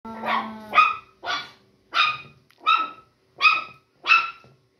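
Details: Chihuahua puppy barking while launching a sudden attack on its sister; seven sharp, harmonic yaps spaced roughly every 0.6 to 0.7 seconds, the first opening with a brief whiny tone.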